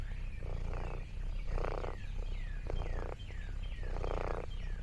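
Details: Lexi, an orange tabby cat exploring a countryside farm, purrs contentedly in rhythmic bursts that swell and fade with each breath, about once a second. Thin, quick descending chirps sound faintly in the background.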